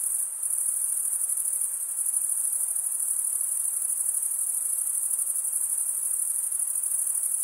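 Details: Crickets chirping through a summer night in the forest, a shrill, evenly pulsing trill that dips slightly at the very start then runs on continuously above a quiet hissing background.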